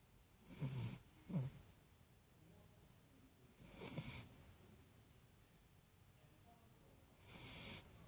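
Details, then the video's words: Great Dane pup snoring in its sleep: low grunting snorts and wheezy hissing breaths repeating every few seconds, quiet indoors between them. "my little Great Dane pup , snoring ngorzz"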